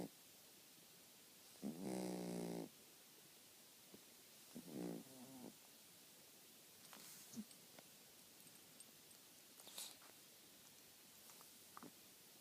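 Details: Sleeping pet dog giving one loud rasping snore early on, then a softer, shorter snore, followed by faint irregular breathing noises and small clicks in a quiet room.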